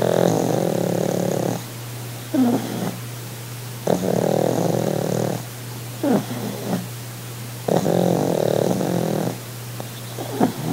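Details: Sid the pug, lounging on holiday, purrs with loud rattling, snore-like breaths that recur roughly every four seconds. Softer snorts and sniffs fill the pauses, with a low steady hum beneath.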